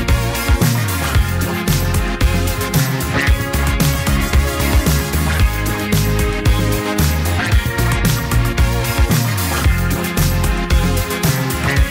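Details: Loud funky dance music with a pounding bass beat and sharp percussion covers the whole stretch, and no animal is heard.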